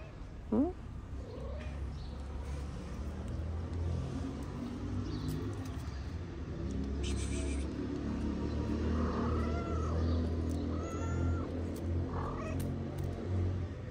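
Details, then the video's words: Moroccan street cats around a wooden cat house, the mother eating while kittens play at fighting; a man's voice and laugh, then a short run of three arched meows later on, over low traffic hum. "Mama cat is eating, kittens are playing cute fighting game on her wooden house."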